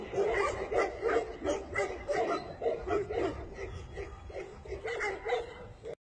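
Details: Tibetan Mastiff giving repeated short barks at about three per second, loudest early and softening slightly before stopping abruptly at the end.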